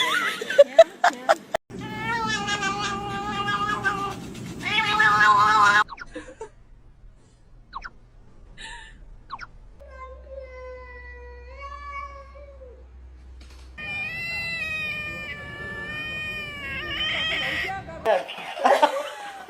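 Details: Domestic cat in a funny pet compilation giving repeated drawn-out meows, some wavering and caterwaul-like, with a long, steady mid-pitched meow between bursts; human voices and faint music in the background.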